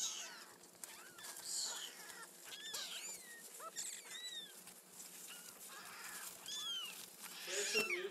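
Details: Kittens in their first week mewing, with many thin, high, arched mews overlapping and tumbling over one another in quick succession throughout, some rising then falling, in a quiet indoor setting.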